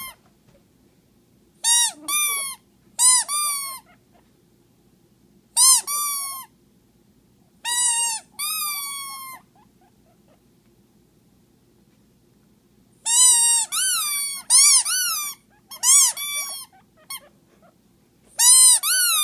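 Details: Guinea pig squealing as it meets a plastic rat at Halloween; strong whistled wheeks, each rising briefly then falling, grouped in pairs and runs with pauses, a dense burst of rapid repeated squeals in the second half, quiet background.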